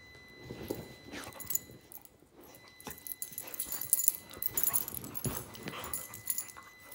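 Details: Zou Zou, a 9-week-old Shih Tzu puppy, wrestling indoors with her pit bull friend Lola; brief whiny yips and whimpers, one rising, break through scuffling, thumps and jingling tags.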